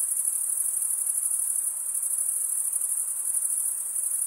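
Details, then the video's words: Night-time crickets of a summer forest keep up a continuous piercing high trill, finely pulsed and even in volume throughout, with no birds, wind or voices. "Pure cricket music for 20 min"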